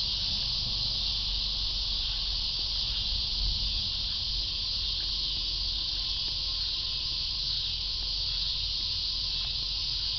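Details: Cicadas droning in a constant shrill buzz, joined by a faint steady lower tone and some low rumbling noise in the background.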